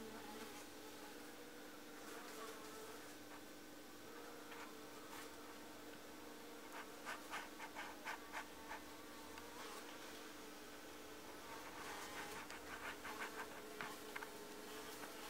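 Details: Honey bees at a beekeeper's hive where they built their own natural wax comb in place of four missing frames; a steady low droning hum throughout, with bursts of short crackling taps clustered between about 7 and 14 seconds.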